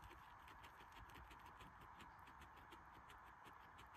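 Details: Guinea pig eating, loud chewing: rapid, steady crunching clicks repeated several times a second throughout, with a constant low hiss behind.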